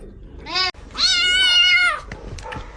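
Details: Kitten meowing twice: a brief meow, then a longer, drawn-out meow lasting about a second that holds steady before fading, followed by quiet room noise.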